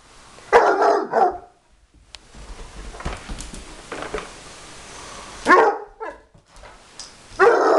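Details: A Bloodhound lets out deep, booming barks in short bursts at a vacuum cleaner that is not even switched on.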